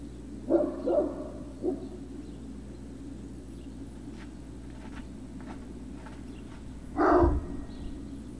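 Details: Great Dane puppies on Puppy Hill, afternoon of 03-06-2019: three quick puppy barks open the stretch, then a long quiet gap with a constant low background hum, broken by one louder, harsher bark near the end.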